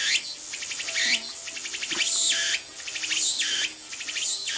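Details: Shrill song of a tsukutsukuboshi cicada, locally likened to "ooshin tsukutsuku" and "takabeccho", with rapid rasping pulses that swell and end in upward-sweeping buzzes, repeating roughly every second; a faint tone is heard briefly underneath.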